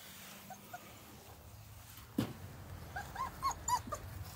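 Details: Bernese Mountain Dog puppies in a garden: a dull thud near two seconds, then three or four short, high whimpering yips in quick succession, each bending up and down, over a steady low outdoor rumble.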